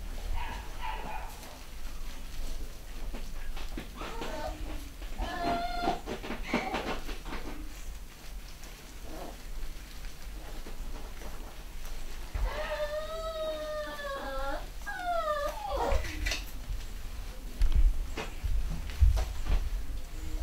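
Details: Litter of home-bred 3/4 Schnauzer puppies, boys and girls, at a UK breeder, giving a few thin, wavering whines around five seconds in, then a longer run of high, bending yelps mid-clip over low background rumble and handling noise.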